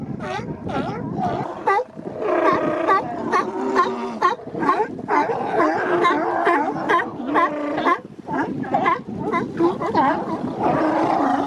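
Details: Male sea lions establishing mating territories along the Coast Guard pier in Monterey Bay, in April and May; many animals give loud, hoarse honking barks, overlapping and repeated roughly twice a second, forming a continuous chorus.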